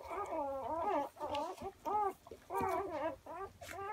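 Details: Newborn German Shorthaired Pointer puppies, six hours old, giving a series of quavering, harmonic whimpers and squeals, several overlapping, in short bursts with brief pauses.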